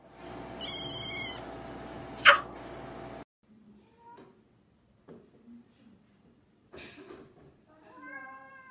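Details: Cat meowing indoors: two short mewing calls with stacked harmonics, one early and one at the end, separated by a sharp click, a quiet gap and faint rustling.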